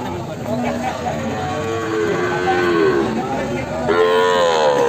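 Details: Morning lowing of Limousin cross feeder cattle: a drawn-out, slightly bending moo at mid-clip, then a second strong, rich moo begins near the end, over steady murmur and distant voices.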